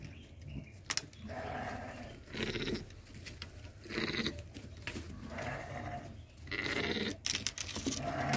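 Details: Goats kept with sheep on a farm during mating, giving a series of wavering, nasal bleats about a second long each, spaced by short pauses, with clicks and background farm noise between calls.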